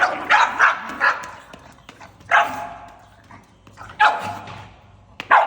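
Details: Angry pug letting out short, gruff barks in pairs and singles, separated by quieter gaps with a faint low growl underneath.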